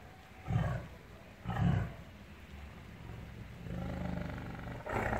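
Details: Angry tiger in a cage in captivity letting out two short, low, grunting roars close together, followed by a quieter drawn-out growl and a final rough burst.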